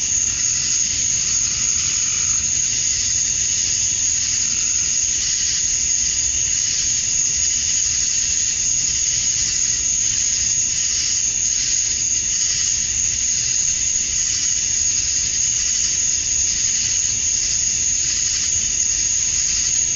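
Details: Outdoors at summer dusk in Georgia, USA, a chorus of male cicadas chirping for females fills the air with a continuous shrill, buzzy whine that gently waxes and wanes, with a soft low rumble throughout.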